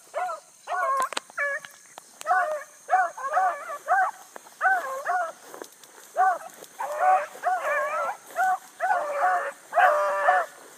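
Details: Bluetick Coonhounds running hard on a big rabbit early in the morning, July 2012, a new pup among the pack. Loud, choppy baying in quick bursts, two or more hounds calling in overlapping, wavering notes roughly every half second, faint hiss behind.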